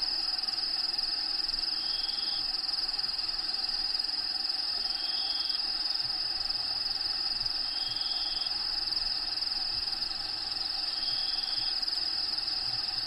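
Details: Continuous high-pitched cricket trilling from inside a bearded dragon's vivarium, home of Diego, over background habitat sounds. Short whistled notes recur roughly every three seconds above the unbroken buzz.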